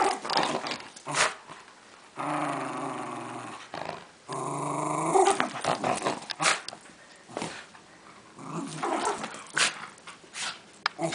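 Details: Welsh Terrier bitch in play, savaging a stuffed lion toy without ruining it: sustained rumbling, throaty growls in long harmonic stretches, broken by snorts and short snarling bursts, continuous and intense throughout.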